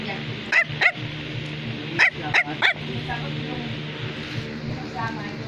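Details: Bichon Frisé barking while another dog named Baloo is around: five short, sharp yaps in two bursts within about two and a half seconds, over steady background music.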